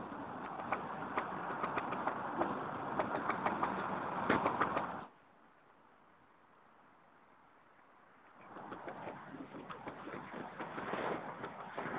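Broad, rushing traffic or wind noise with scattered clicks drops to near silence for a few seconds, then returns, with no clear animal voice.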